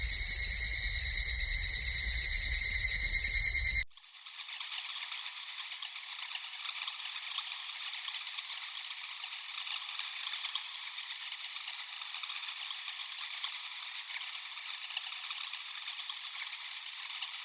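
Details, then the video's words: Cicadas in the wild: a steady high shrill whine runs for four seconds, then abruptly gives way to a dense, rasping, hissing buzz that fills the high range and continues without a break. "4 Kinds of Cicada Sound"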